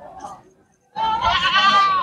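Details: Champion male goat from the Rukhala goat fair, shown for sale, lets out a loud, wavering, nasal bleat lasting about a second after a brief human voice and a short pause.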